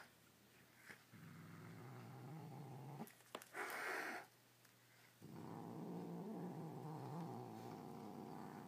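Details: A male pet cat indoors growls to defend his toy from another toy: a low, rough, rumbling growl with harmonic bands, broken by a sharp, breathy hiss around the middle, then more sustained snarling growl.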